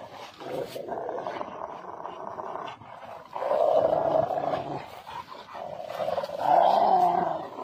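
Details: Rottweiler playing on a field, giving a long rough growling rumble with a sustained tonal band, louder bursts around the middle and end, with brief scuffling sounds between.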